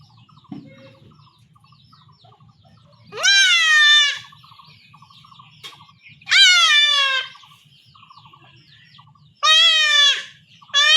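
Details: Goat kid in rural Bengal, castrated at home by village method, gives three loud, strained bleats about three seconds apart. Each cry is wavering, harsh and falls slightly in pitch, with quiet background shuffling between them.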